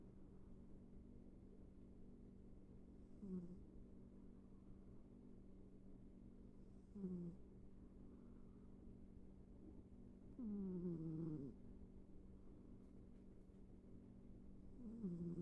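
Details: Snoring from Ivy the cat as she sleeps: four gentle rasping breaths with a falling tonal edge, spaced three to four seconds apart, the longest near the end, above a faint steady hum.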